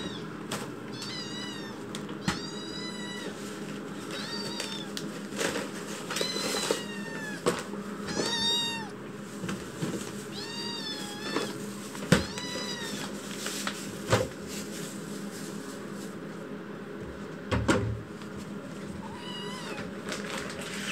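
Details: Chitchi, a foster kitten indoors in winter, crying loudly after waking while pacing the room: a run of high arched meows, some in quick pairs, with shuffling and tapping noises between them and a low steady hum behind.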